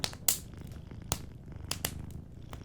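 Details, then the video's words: Sleeping cat purring softly beside a warm fireplace, a low pulsing rumble almost drowned by loud, sharp crackles and pops of burning wood. "Warm Fireplace Ambience with a Sleeping Cat 🐱💤Fireplace & Soft Purring"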